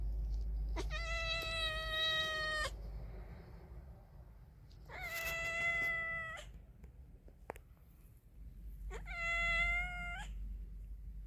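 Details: Domestic cats, a male mating with a pregnant female: three long, drawn-out harmonic meows, each about two seconds, spaced several seconds apart with quiet gaps between.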